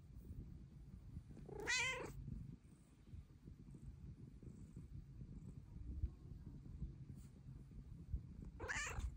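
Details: A female pet cat seeking pets gives two sharp, high meows about seven seconds apart, with a soft low purr rumbling faintly between them.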